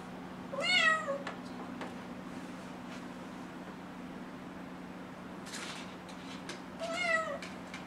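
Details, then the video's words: Kitten of six months meowing insistently to be let outside: two clear descending meows about six seconds apart, a brief rustle between them, and a steady low hum in the room. "Cute Kitten Meows to Go Outside"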